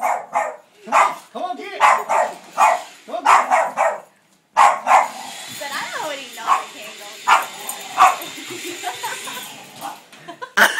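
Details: A female Boston Terrier barks in sharp, repeated bursts at a running vacuum cleaner she loves, over its hum, with a woman talking.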